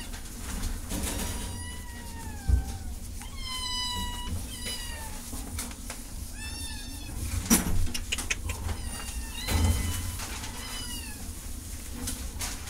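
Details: Cat meowing repeatedly, about seven drawn-out meows across the stretch, most sliding downward in pitch with rich harmonics, some rising first and then falling, over a steady low rumbling background hum.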